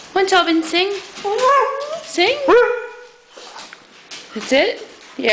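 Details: Alaskan Malamute, one of a household pack of six, singing with its owner: a run of rising, wavering woo-woo howls and bent yelps, some sliding upward, with brief pauses and a person's encouraging voice.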